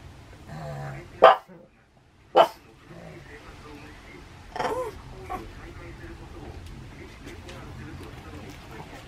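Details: Pet Pug indoors in Saitama, Japan, on 6 May 2020, barking at thunder: two short, sharp barks about a second apart, then a softer, tonal yelp, followed by quiet with faint background hum.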